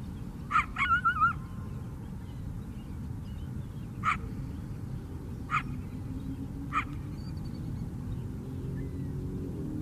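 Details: A coyote on Chicago's south side by the lake opens with a bark run into a rapid, warbling yelp, then gives three single barks spaced about 1.5 seconds apart. A dull background rumble continues throughout.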